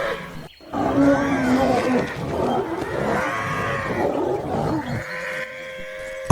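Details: Lions of one family in the African savanna, gathered around a warthog just caught in a quick hunt, feeding together: rough, wavering harmonic growls and moans rising and falling over several seconds, with scuffling noise and a brief voice-like sound.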